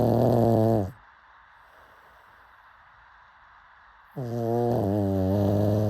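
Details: Rough, rattling snores from a sleeping pug; one snore fades out, silence follows for about three seconds, then a longer, vibrating snore rolls in.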